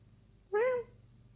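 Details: Single short meow from Wisky, a six-month-old kitten playing at night, bright and harmonic, rising then gently falling, with a faint room hum underneath.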